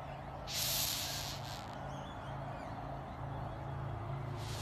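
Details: A rhinoceros beetle in Queensland gives short, breathy hissing bursts over a low background hum.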